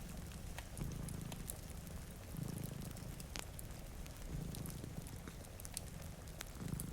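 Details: Low, rhythmic purring from cats sleeping in front of a rainy window beside a cozy fire, swelling about every two seconds beneath rain noise and frequent crackling pops.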